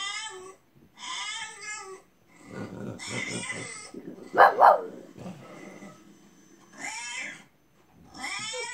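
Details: Indoor French Bulldog whining along with a bulldog crying on television; short, high, quavering cries separated by silences, with a louder sharp burst midway and some low rumbling between cries.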